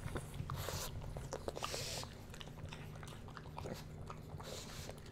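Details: Bowser, a pug puppy, taste-tests food for ASMR; rapid snuffling sniffs and wet crunchy chewing close up indoors, with bursts of noisy breath and a low steady hum beneath.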